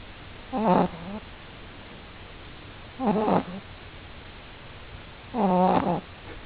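A French Bulldog puppy snores in short, buzzy, rattling bursts about every two and a half seconds.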